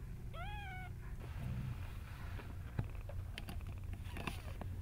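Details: Small kittens indoors; one brief rising-then-level meow at the start, followed by soft rustling and light taps against a low constant hum.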